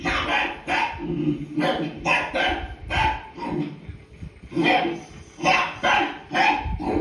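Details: Leo, a pet dog, answers barking heard on television with loud, punchy barks in quick pairs and runs, separated by brief pauses.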